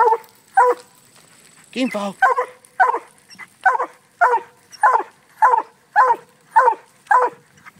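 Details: Treeing a raccoon freed from a cage, the Black and Tan Coonhound FOG gives one bark, then a long wavering bawl, then a regular string of clipped barks roughly every half second.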